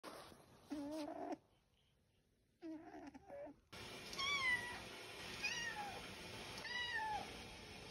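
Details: Pet cat meowing indoors: after a brief muffled call and a gap, a run of high, arching meows rises and falls, repeated roughly every second, with cuts between segments of a compilation.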